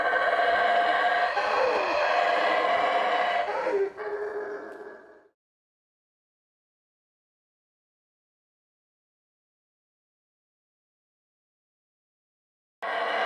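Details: Howler monkeys roaring at the Yaxchilan ruins in the morning: several seconds of harsh, sustained roaring that fades out, then a long silence before the roaring resumes abruptly at the end.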